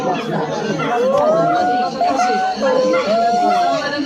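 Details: Silvery gibbon giving smooth, pure whistled notes: a low rising swoop, then long level tones and a dipping-then-rising note, heard over a steady background of crowd chatter.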